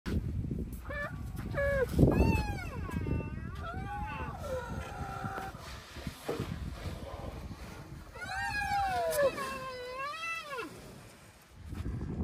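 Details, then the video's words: Rhino calves moaning, among them a sensitive young male named Bula lying down while Thaba stands over him, the others joining into a chorus: drawn-out tonal moans rising and falling, several overlapping, with a rumbling low background throughout. "A moaning chorus of rhino calves"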